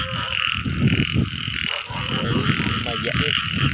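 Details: Rain-season frog chorus, heard while catching frogs: an unbroken buzzing drone with rapid high pulses, over low thumps and splashing noises close by.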